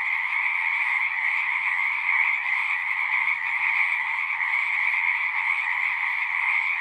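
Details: A thick frog chorus drones on without pause, a buzzy, layered trill of countless callers at mid and high pitch, with faint low rumbling beneath the steady sound.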